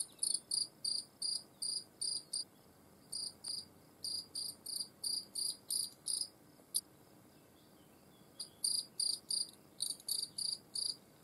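A European field cricket sings loud, shrill chirps repeated steadily, about three each second.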